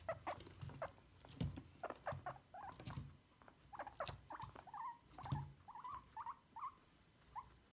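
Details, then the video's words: Guinea pigs under grooming with a brush: rustling brush strokes and low bumps at first, then a run of clear, upward-sliding squeaks repeated about every half second toward the end. "Guinea pigs brushing squeaking"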